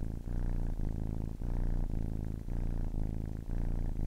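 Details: Kitten aged ten weeks purring right at the ear, a rich low rumble broken by short gaps at each breath change, roughly two cycles per second of alternating phases.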